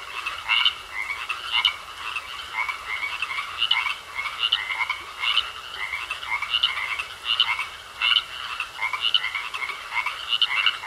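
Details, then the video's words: Croaking frogs in a pond, regular pulsing rounds of rasping calls roughly once a second, many voices overlapping against a continuous faint hum. "Sounds Of Frogs Croaking In A Pond"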